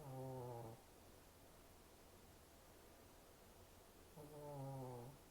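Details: A Shih Tzu, short-snouted brachycephalic breed, snores twice, each a low buzzing, voiced breath about half a second long with layered overtones, separated by roughly three and a half seconds of quiet background hum.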